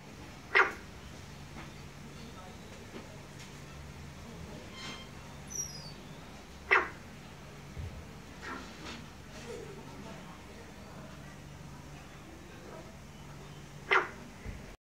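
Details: A barking frog in Hue, Vietnam, gives short, sharp, bark-like calls spaced several seconds apart over a low steady hum.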